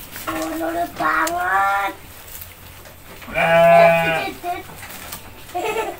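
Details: Goat fed by a woman encouraged by a child gives a long, trembling, nasal bleat after a shorter earlier cry, while people chatter nearby in a small space.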